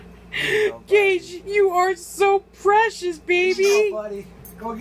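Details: Gage, a boxer, howling while playing with his lion squeaky toy: a string of short, tonal, wavering howls, each about half a second long, rising and falling like a vocal woo-woo, separated by brief pauses.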